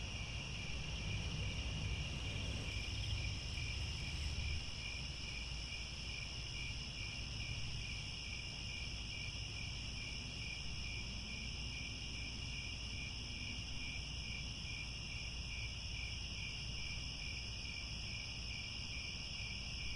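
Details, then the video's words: Crickets in grassland near Angkor Wat, Cambodia, at sunset; steady high layered trilling bands with fast pulsing, a dense continuous insect chorus over low rumbling background noise. "The Sound of Crickets at Sunset"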